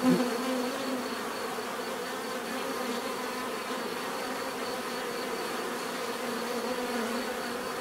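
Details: Bees in a natural setting giving off a steady, dense buzzing drone, a continuous hum with bands around the low-mid range and a faint high tone throughout, offered as relaxing nature sound.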